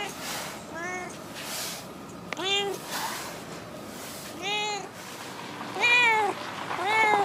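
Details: Talkative stray female cat that lives around a park car park. She keeps up a run of five bent, wavering meows spaced one to two seconds apart, the later ones louder, with soft outdoor noise behind.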